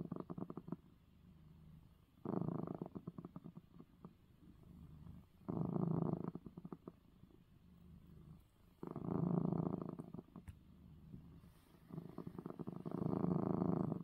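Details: Domestic cat, a male, purrs after his eye medicine is given; throaty vibrating rumble rising and falling in five loud surges, each one to two seconds long, with quieter rumbling between.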